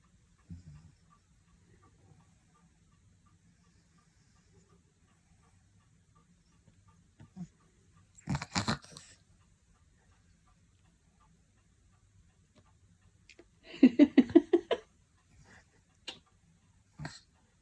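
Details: A huge, very relaxed male Maine Coon being cuddled gives a brief, low, fluttering call in a quiet room, with a few soft knocks around it.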